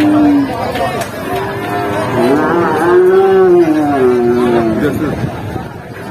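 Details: Enraged cattle on a rampage, charging and ramming its own owner: a drawn-out, low moo that swells, wavers and slowly falls over roughly three seconds, with human voices talking and shouting around it.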